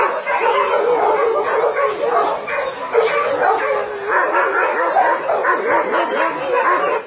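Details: Continuous clamour of barking and yipping from many dogs kept at a meat farm and puppy mill in Nonsan, South Korea, January 2017; overlapping voices with a faint human voice.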